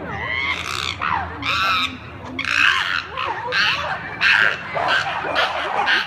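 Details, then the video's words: Chimpanzees at Chester Zoo going wild: loud, harsh screaming bursts in rapid succession, some rising and falling shrieks, overlapping voices with brief pauses between outbursts. "Chimpanzees Go Wild at Chester Zoo!"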